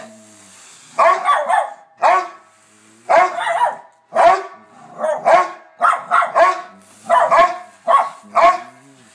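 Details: Bronner and Bella, two household dogs, bark steadily in rough, broadband bursts, often doubled, roughly every second with brief gaps between volleys.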